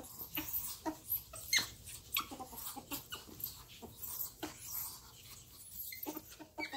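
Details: Two pet ferrets playing together indoors, making squeaking and whining noises that almost sound like fighting; scattered sharp clicky bursts and brief high squeaks come in quick irregular clusters throughout.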